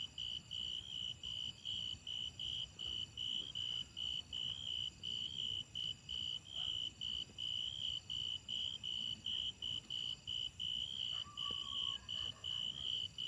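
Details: Grasshoppers keep up a fast, continuous run of shrill tonal chirps, close together for thirteen seconds, with a brief fainter lower whistle near the end and a low rumble beneath.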